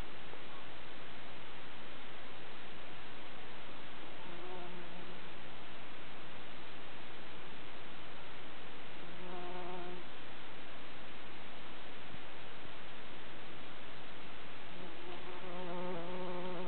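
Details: On Midsummer night in the Kivijärvi wilderness of the barren, flower-poor Tammela uplands in Finland, a working bumblebee's low, droning wing buzz comes and goes in brief passes over steady background hiss.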